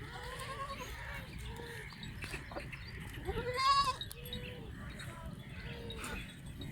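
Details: Goats at a farm in Banhyal give a run of wavering, nasal bleats. There are about six calls, each under a second long and spaced roughly a second apart. One louder, rising bleat comes near the middle, over a low steady rumble and some clatter.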